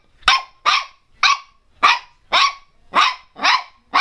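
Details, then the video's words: Pinscher Teco barking loudly and bravely, a steady run of eight sharp, high yaps spaced about half a second apart, each with a quick falling tail. "pinscher latindo bravo - pinscher latindo alto - cachorro pinscher latindo"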